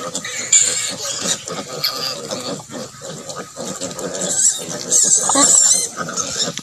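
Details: Native pig sow with her piglets, mothers left to raise their young naturally on a farm; dense chorus of rapid grunts and higher squeals, swelling louder toward the end, with brief voices nearby.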